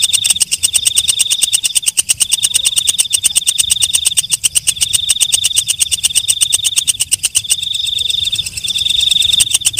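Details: Walang kecek, a night grasshopper, calling: a rapid train of dry ticks with a sustained high, buzzy ringing tone laid over it. The tone comes in phrases of about two seconds, separated by brief breaks. No other sounds stand out.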